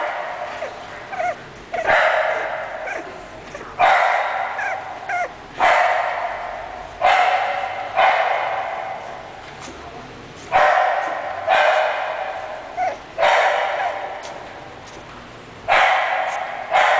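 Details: English Bulldog barking in a series of loud, hoarse barks, often doubled, with bursts roughly every two seconds throughout and short quiet gaps between them.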